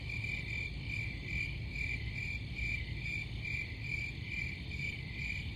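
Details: High-pitched cricket trilling, pulsing in quick irregular bursts over a constant shrill hum, backed by a low rumble throughout.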